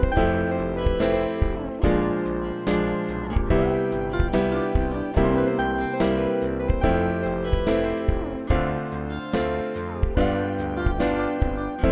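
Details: Bright piano music plays in steady rhythmic chords throughout, with no animal sounds heard.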